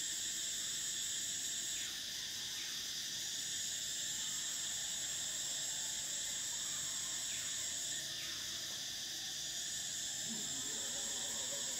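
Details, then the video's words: Cicadas in summer keep up a continuous, piercing high buzz. A few brief downward-sliding notes cut through it, and a soft low call rises near the end. "Cicadas: the sound of summer"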